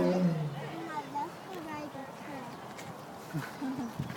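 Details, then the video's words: A male tiger at the Detroit Zoo on 7/3/2010 gives a deep, rumbling moan, unseen, with people talking nearby. "Tiger makes odd noises at the Detroit Zoo"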